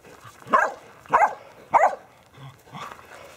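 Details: Border Collies playing soccer with a basketball: three loud, fairly evenly spaced barks in under two seconds, then a softer fourth bark.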